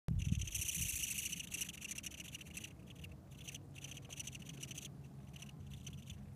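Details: A female velvet ant walking on a trail at Almaden Quicksilver Park gives a rapid, scratchy, high squeaking in pulsed bursts, about three or four per second, over low rumbling background noise.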